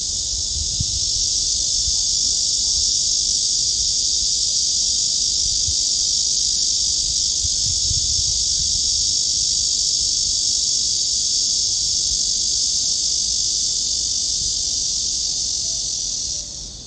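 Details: Cicadas fill the air with a continuous, high, hissing drone that holds steady throughout, recorded on 16 August 2022 on a walking trail at Gwanggyo Lake Park (Sindae Reservoir), Suwon, Korea.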